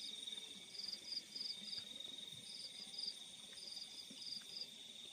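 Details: Crickets at night in the fields: bursts of four or five quick high pulses repeating at uneven intervals above a steady, thin background trill.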